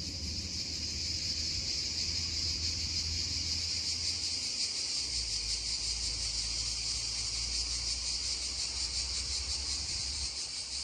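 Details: Cicadas droning beside a babbling stream: a steady, dense high-pitched buzz with a fast shimmering pulse runs without break, while low rushing water murmurs underneath.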